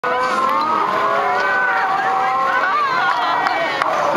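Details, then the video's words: A dense chorus of thousands of sea lions, countless hoarse, moaning and bellowing voices overlapping without pause. "ever wonder what thousands of sea lions sound like?"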